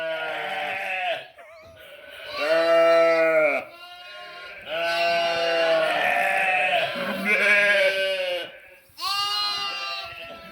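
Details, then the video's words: Bleating sheep and lambs on 11/5/2026, a run of five drawn-out, quavering baas, some rising then falling in pitch, following one another with short pauses between calls. "Funny sheep and cute lambs bleating, making noise"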